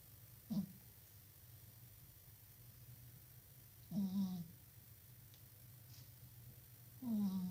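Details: Sleeping cat with a microphone placed close by, snoring in three short, squeaky nasal bursts roughly every three seconds over a steady low hum.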